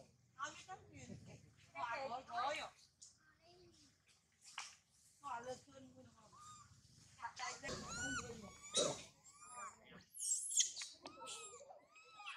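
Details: Hungry pet baby female monkey named Sario crying hard indoors: loud, wavering, harmonic wails and squeals in repeated bursts, rising into high shrill cries near the end, with human voices mixed in.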